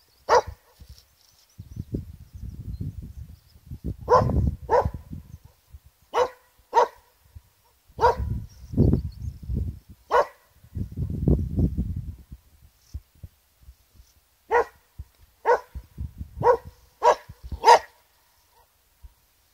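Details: American cocker spaniel at the Quiraing walls, Isle of Skye, barking repeatedly at its own echo: a long series of short, sharp barks, partly overlapped by gusty low wind and a man speaking.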